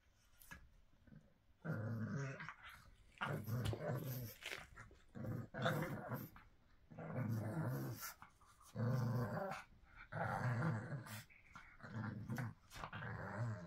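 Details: Pug giving rough, low growling snorts in bursts of about one to one and a half seconds, separated by short pauses, with a grainy, noisy texture throughout; a few sharp clicks between bursts.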